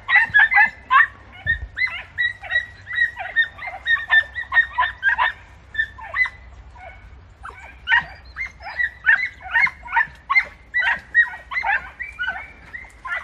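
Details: Podencos hunting in bramble in Campo Arañuelo give a long, continuous chorus of shrill yelping barks. The barks come two to three per second in uneven series, with one dull low thump near the start.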